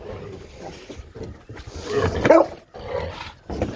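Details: American Bully dog named OG Kong in the morning, giving one loud, deep, rough bark-like vocal burst near the middle, framed by quieter shuffling and low rumbling background noise outdoors.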